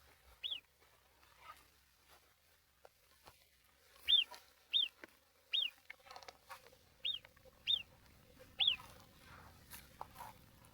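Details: On the Tour du Mont Blanc near Col de la Seigne, among deep lingering snow, an Alpine marmot gives short, sharp, high whistles at irregular intervals of about a second, another marmot calling from higher up.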